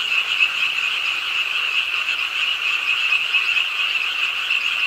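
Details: On a rainy night at the pond side in Ingye Art Park, Suwon, many frogs began croaking with the rainfall, making an unbroken shrill trilling chorus that swells slightly in loudness.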